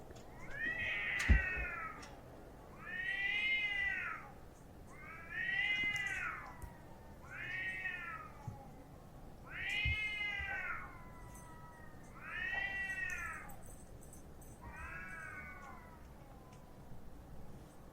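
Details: Domestic cats fighting outside, a stray black-and-white cat against another cat: loud wavering caterwauls that rise and fall, repeated roughly every two seconds, seven long howls over a quiet background.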